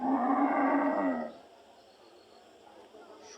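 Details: Cattle at a crowded Qurbani (Eid al-Adha) livestock market in Mymensingh, Bangladesh, with few buyers: one loud, sustained, low harmonic moo lasting just over a second, then quiet market background.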